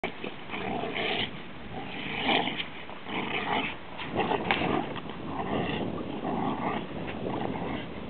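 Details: Pet Rhodesian Ridgeback making rough, rumbling vocal bursts that swell and fade irregularly about once a second, with a steady muffled background.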